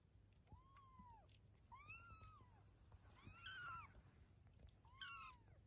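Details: A mother cat named Eve and her 23-day-old kittens: four clear, drawn-out meows rising then falling, roughly one each second, the later ones brighter and more strained, against faint indoor hum.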